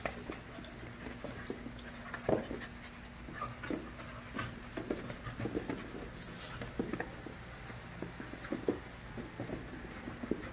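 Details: Five-month-old puppies at play in a group, making short whimpering yelps and panting amid scuffles, one sharper cry early on and irregular bursts throughout, low background hum.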